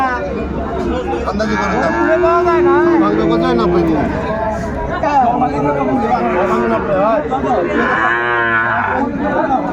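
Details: Bull calves of the Sahiwal breed at the Ambari market in Faridpur, 29 April 2024: a series of mid-pitched, wavering moos that overlap one another, with men bargaining and a crowd chattering throughout.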